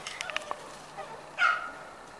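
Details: Five-week-old Corgi puppy from the Sugarbaby litter gives a single short whine that rises then eases off, after a few soft clicks and taps.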